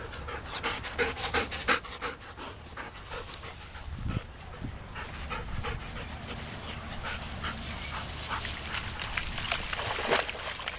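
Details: Labrador retrievers panting: rapid, breathy, broadband puffs repeating about three times a second in an uneven rhythm, with a few low thumps near the middle and a faint voice in the background outdoors.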